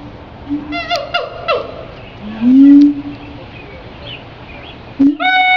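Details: A siamang putting on a show at Henry Doorly Zoo gives loud, tonal whoops that swoop up and down, with a booming rising note in between.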